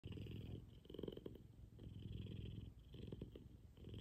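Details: An F2 Savannah cat named Kumba purrs loudly while cuddling in the morning: a low, continuous rumbling drone with steady harmonics, swelling and easing in roughly two-second breaths, recorded indoors at close range.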